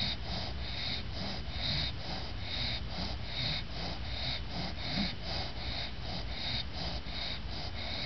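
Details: After her bath a tired female English bulldog named Lucy snores with open eyes; fast, even snorting breaths about seventy-four per minute, rasping and wheezy, in a small quiet room.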